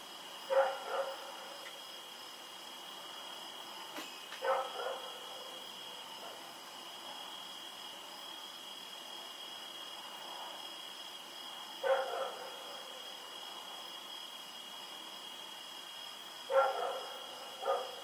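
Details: A dog named Rex running around at night, recorded 7 October 2018: scattered single and paired barks at long, irregular gaps, fairly distant, with a continuous high electrical tone behind them.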